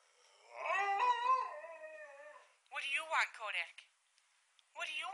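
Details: One of two hungry Alaskan Malamutes at feeding time gives a long, wavering, harmonic-rich howl lasting about two seconds. It is followed by short, throaty, talking-like vocal bursts and then quiet.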